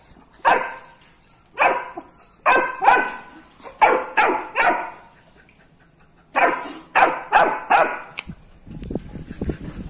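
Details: Barking of a Labrador Retriever puppy reacting to a rat, delivered in quick clusters of several sharp barks, a pause near six seconds, then another rapid run, with some shuffling noise at the end.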